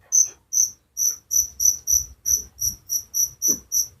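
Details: Cricket singing at night in the countryside: shrill high chirps about every third of a second, slightly uneven in spacing, over a soft low rumble and a brief muffled knock.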